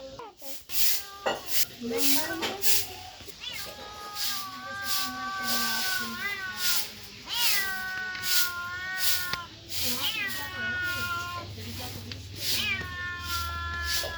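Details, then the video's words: Kittens and cats mewing repeatedly, a rapid series of short bent, wavering meows, some rising then falling, crowding over one another with a low hum underneath. "Cats and Kittens Meowing Sound Effects Part 9 | Cat Sound | Cats Meowing"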